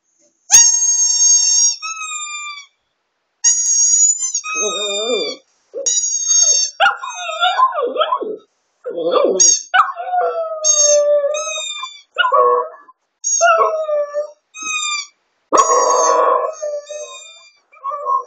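A small dog, a Shih Tzu, sings in wavering, rising and falling howls with whiny yips between phrases. A bright, sustained musical tone plays in repeated bursts above its voice.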